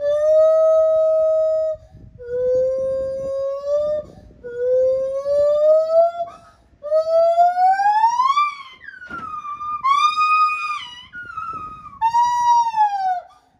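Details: A captive lar (white-handed) gibbon at the Japan Monkey Center sings a solo of long, pure, siren-like notes that slide upward, each rising higher than the last, with distinct phrases where the voice changes.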